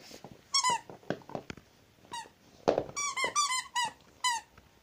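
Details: Zhenya the pet Rottweiler squeals repeatedly in a small room: loud, high-pitched harmonic whines that each sweep downward, some doubled or tripled in quick succession, separated by clicks and brief thumps.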